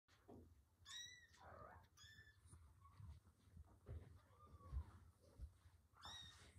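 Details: A litter of six two-week-old Norwegian Forest Cat kittens gives thin, high-pitched mews over a low rumbling background.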